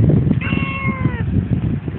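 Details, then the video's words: Brief tonal meow, gently sliding downward, from a one-year-old female talking cat replying to its owner, who coaxes it in Tagalog to take a bath; steady low background rumble. "TALKING CAT"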